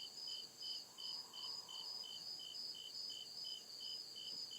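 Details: Cricket chirping at night in the deep woods: steady high, pulsed chirps repeating about two and a half times per second, layered over a continuous high trill, with a faint low hum rising and fading in the background.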